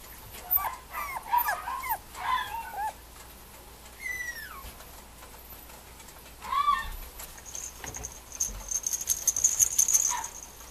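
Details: Mame Shiba puppy, a male, at a breeder's kennel in Japan: a few clusters of short high whimpers and yelps with a sliding whine near the middle, plus a sustained high electronic-like tone and clattering toward the end.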